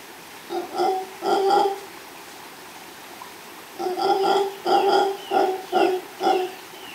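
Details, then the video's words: Male mantled howler monkey, or saraguato, howling with a female nearby, recorded live by chance in Los Tuxtlas Biosphere Reserve, Veracruz, Mexico; two deep, rough roaring bursts, a pause, then five more throaty pulses in quick succession. "Mono Aullador de Manto (Alouatta palliata)"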